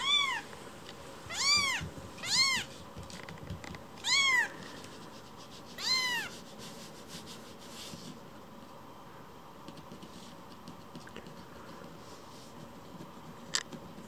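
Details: Rescued baby kitten returning to be petted after wandering off: five high, arched meows with rich harmonics in the first six seconds, then quiet room tone with faint rustling to the end.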